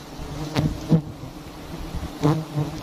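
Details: A short low drone of honeybees rises from large nests hung on a palm-garden tree, with two or three dull thumps and knocks over the hum.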